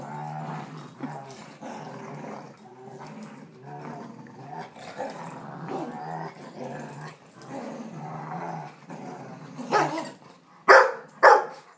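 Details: Two dogs, Lexie, a 1.5-year-old Rottweiler, and Riley, a 5-year-old Rhodesian ridgeback/chow/vizsla mix, play tug of war on July 18, 2012. A continuous low rumbling growl runs for about nine seconds, then a few sharp barks burst out near the end.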